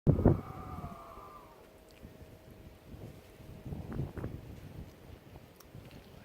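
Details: Bobcats, possibly mating or arguing, make a long, eerie yowl that starts high, slides lower and holds a moaning tone for several seconds over low wind rumble, with rougher bursts near the end.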